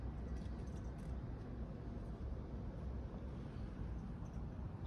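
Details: Steady low rumble of background noise, like distant traffic or machinery, with no animal voice heard.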